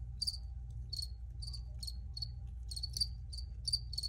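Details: Crickets recorded outdoors, chirping in short bright bursts about twice a second, each chirp a tight pulsed trill with a high ringing tone, over a steady low hum.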